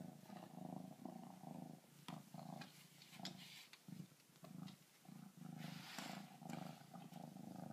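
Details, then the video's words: Kittens purring near a glass door as they befriend a backyard raccoon; a strong, low, throbbing purr rises and falls with each breath, roughly twice per second, with a few knocks and rustles. "kittens purring"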